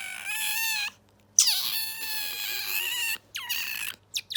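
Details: Bingo the otter showing off a brand-new squeaking sound it could not make before: three bursts of bright harmonic squealing, each opening with a downward swoop then held level, separated by short silences.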